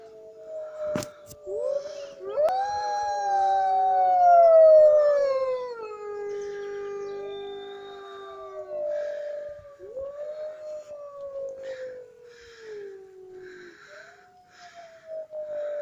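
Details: Captive wolves at Woodside zoo in Lincoln howling together: long, smooth, tonal howls that rise, hold, then slide down, with several voices overlapping at different pitches. Some shorter, higher wavering howls join near the end. No other clear sounds.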